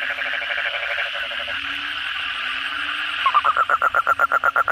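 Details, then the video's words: Frogs and kodok bangkong toads calling at night after heavy rain; a blurred, continuous chorus of croaks gives way to a nearby caller starting a rapid, regular run of loud pulsed notes. "suara kodok bangkong pada gacor setelah hujan lebat malam hari"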